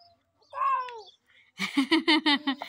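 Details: A young goat kid lets out a wavering, pulsed bleat of about one second, quivering in rapid beats, after a shorter, higher, voice-like call; people talk nearby.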